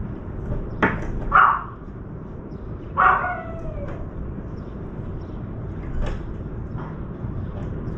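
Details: Puppy barking while a crow dunks meat in a water bowl and tears at it; two clear yappy barks a couple of seconds apart, with fainter knocks and low traffic-like rumble behind.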